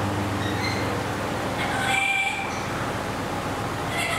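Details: Ring-tailed lemur at Nasu World Monkey Park, Tochigi, Japan, on 7 December 2018. A thin, mewing, whistle-like call with a few harmonic overtones sounds near the two-second mark, heard over a steady low mechanical hum.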